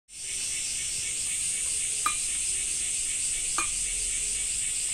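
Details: Cicadas in a Japanese summer: a steady, unbroken high buzzing drone in two bright bands. Two sharp clicks or drips cut through it, a little over a second apart.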